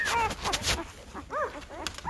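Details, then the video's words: Five-day-old Great Bernese puppies, a Great Pyrenees and Bernese Mountain Dog cross litter from Lacey and Castle, letting out short arched squeaks and whimpers, with brief rustling and a human voice nearby. "Great Bernese Puppies are 5 days old and getting noisy!"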